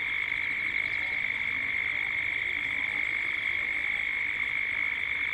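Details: Dusk chorus of cicadas in Gippsland, Australia, recorded as 3D sound: a constant, even, high buzzing whine that never pauses, with a faint upper layer above it.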